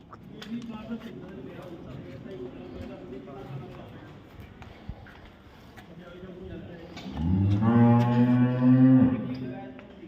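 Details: Cow at a dairy farm in Samora village, Karnal, Haryana, India: people talking and farm clatter at first, then a loud, long, steady moo of about two seconds near the end.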